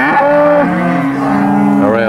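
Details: Cattle at an auction sale of steers; loud overlapping moos from several animals, long sustained low tones with steady pitch, one voice higher and others lower, continuous throughout.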